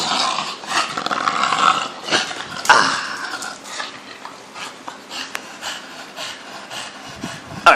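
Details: A 4-year-old English Bulldog in Taiwan gives harsh, throaty growls and snorting grumbles in uneven bursts while play fighting with his owner; a person's voice is heard briefly near the end.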